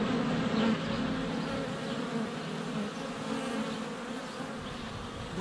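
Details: Many honey bees flying around their hive entrance in sunny February weather, captured by a GoPro less than a foot away; continuous layered droning buzz, fairly even in loudness throughout.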